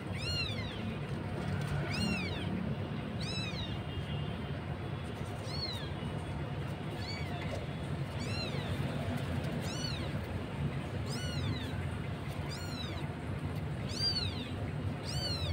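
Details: Kitten in Jakarta, among stray street cats, calling its mother with a thin voice: high, arched meows repeated roughly every one to two seconds over steady low traffic rumble.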